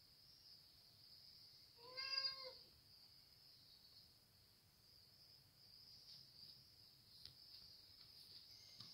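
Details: Hungry domestic cat talking, giving a single drawn-out meow with stacked harmonics around the second second, then quiet room tone with a steady high electronic whine throughout.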